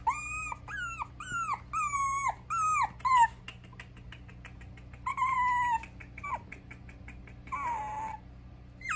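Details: Mixed-breed dog kept by a breeder in Okayama, Japan, whining in a series of high, bent, yelping cries, several quick rising-falling whines in a row, then softer breathy whimpers and a few more drawn-out cries, steady low hum behind.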